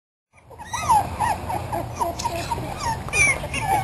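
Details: Terrier and Australian Shepherd cross puppies, 3.5 weeks old and born June 11, 2007, on their first day outside; high thin whimpers rise and fall after a brief silence, some overlapping, with a low steady hum underneath.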